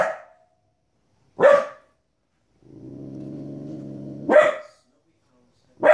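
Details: Female Border Collie puppy, 15 weeks old, barking indoors at wolves and other animals on TV: sharp single barks at irregular intervals, with a low droning hum between them.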